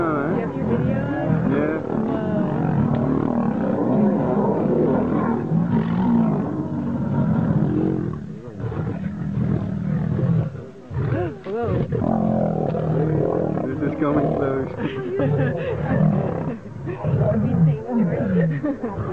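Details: Lions fighting: harsh, deep growls and snarls pour out almost without a break for about eight seconds, then come in shorter ragged bursts separated by brief lulls.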